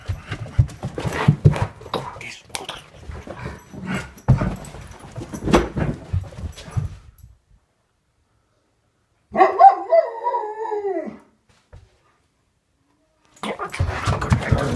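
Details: Alaskan Malamute indoors saying good morning to its owner after coming upstairs: several seconds of footsteps and rustling thumps, then a brief wavering, descending howl-like vocalization, followed by more shuffling movement.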